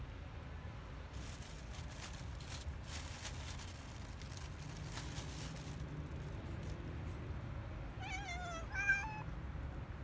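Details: Stray cat being fed in parks and streets gives a single short harmonic meow near the end, rising then wavering, after a long stretch of broadband outdoor rumble and noise.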